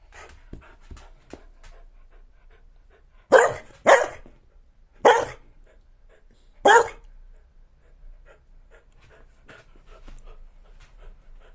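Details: A talkative pet dog indoors giving four loud, short, harsh vocal bursts, spaced one to two seconds apart, between quieter panting, snuffling and soft whining sounds.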